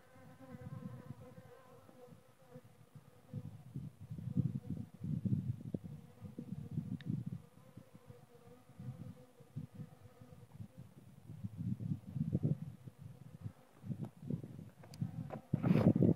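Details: Loud, close buzzing of honey bees in swelling waves, the low drone rising and falling as bees fly near, with a sharper rustle at the very end.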